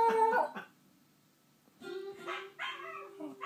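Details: Shiba Inu joining in with a playback of his own howling: a short harmonic howl, a quiet pause, then a long steady low tone with overlapping wavering howl phrases.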